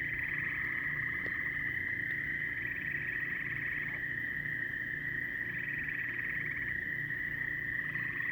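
A dense frog chorus: a steady high trill, with bursts of pulsed calls rising above it.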